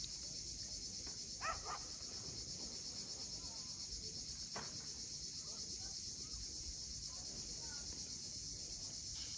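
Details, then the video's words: A cicada chorus at sunset above the sea cliffs of Cape Fiolent in Crimea makes a continuous high shimmering drone. A few short faint clicks and chirps break through, and there is a soft low background. "Cicadas at sunset."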